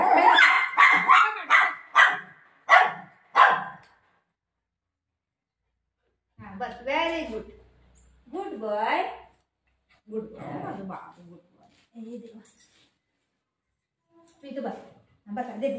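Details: Golden retriever playing with its owner indoors, giving a quick run of about seven sharp, loud barks in the first four seconds, followed by a woman talking to the dogs in Marathi with short pauses.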